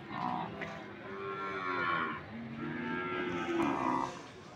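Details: Cattle mooing at the Sokaraja market in Banyumas: several low, droning moos in succession, some overlapping, over steady crowd noise and distant voices.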